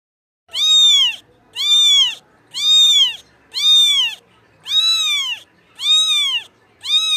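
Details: Kitten meowing loudly, seven long arched harmonic meows, each about half a second, repeated roughly once a second in a steady rhythm against a quiet background.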